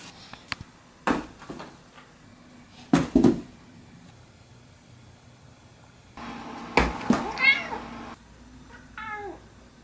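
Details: Domestic cat among cardboard boxes indoors, with several dull thumps and knocks of boxes followed by two short, falling meows near the end over a steady low household hum.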